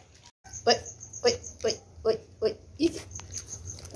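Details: Twenty-eight-day-old puppies from a boxer mother named Xena crossed with a black pitbull named Brutos, played with on the floor indoors; six short, yelping squeaks, each about half a second apart, over a faint low hum.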